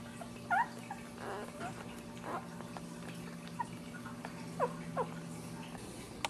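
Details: Newborn Dachshund pups, just ten days old and with their caring mother, make a few short, thin squeaks spaced across a few seconds. A constant low room hum runs underneath.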